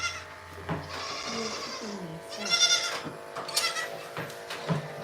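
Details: Goat at The Willful Goat Farm & Home during a live farm broadcast; a wavering, quavering bleat rises mid-clip over a steady low hum, with scattered clicks and clatter around it.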